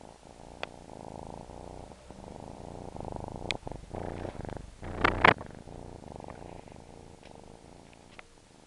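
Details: Low, rhythmic purring from a suckling domestic cat carries on steadily. Brief sharp clicks and a short louder rustling burst midway interrupt it, then the soft rumble continues.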